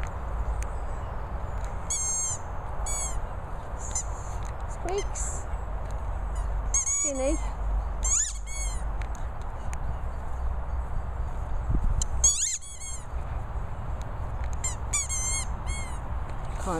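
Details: High-pitched squeaky whines from Staffordshire Bull Terrier Madussa while mooching, repeated in brief bursts across the recording with a constant low background rumble and a brief voice.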